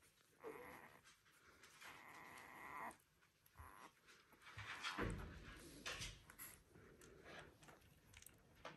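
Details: One-week-old Border Collie puppies, "U2" litter out of Selen and Max, give short high squeals and a sustained flat whine, separated by soft panting-like breaths and light shuffling noises.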